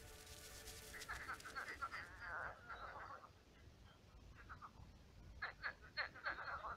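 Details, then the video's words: Many frogs calling at night in a pond gone shallow and marshy; bursts of rapid, rattling croaks rise and fade, with a quieter gap mid-clip before a fresh cluster of loud pulsed calls. "Кваканье лягушек. Лягушки квакают."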